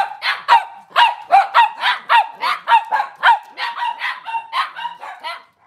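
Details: A Cavalier King Charles Spaniel barks steadily indoors on a kitchen camera one cloudy Monday morning: a long run of bright, yappy barks, nearly two a second, fading at the end.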